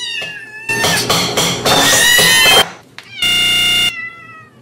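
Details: Domestic cat meowing: a short whining cry at the start, then a loud, rough, drawn-out stretch, and finally a steady, clear, bright meow lasting under a second.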